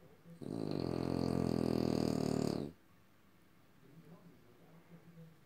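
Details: A French Bulldog lets out a single loud, rattling, snore-like rasp lasting over two seconds, followed by quiet breathing noises.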